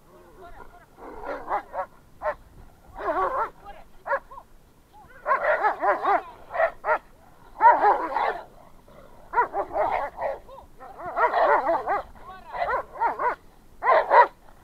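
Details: An American Staffordshire Terrier and an off-leash shepherd fighting on a walk: continuous frantic snarling barks, yelps and growls in dense bursts, with a man's voice briefly audible.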